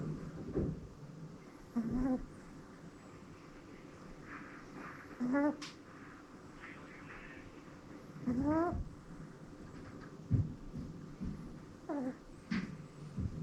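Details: Kuu, a female Pomeranian shelter dog and former breeding dog, fast asleep indoors and snoring with many different sounds: short squeaky whistled tones rising in pitch, recurring every few seconds over soft low breathing noise.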